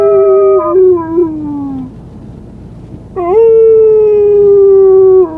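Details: Young white female Siberian Husky puppy, on her first day at home, gives a long howl that slides downward and fades, a short pause, then a second steady, gently falling howl lasting about two seconds.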